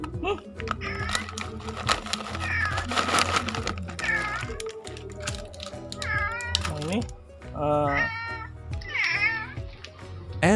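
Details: Pet domestic cats hurrying to the rustle of their food packaging: several rising-then-falling meows in the second half, repeated about once a second, over background music and a person talking.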